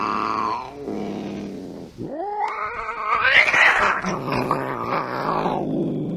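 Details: Angry domestic cat: a wavering yowl, then a short pause, then a rising moan that breaks into a harsh, noisy growl and hiss-like snarl, continuing as a rough, wavering caterwaul to the end.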